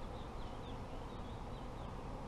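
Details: Apiary honey bees produce an unbroken, deep humming buzz, with a few soft, wavering bird chirps faintly audible over the steady drone.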